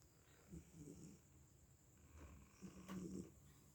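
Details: A sleeping domestic cat that seems worn out snores: two low, rough, rasping breaths, one early and a louder one near the end, separated by a quiet pause, with faint steady background hum.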